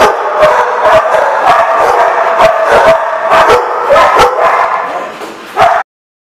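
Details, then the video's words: Dogs barking together at a barking lot on 30 January 2015; steady crowded barking and yipping from many animals, ending with one louder bark before silence. "The Barking Lot"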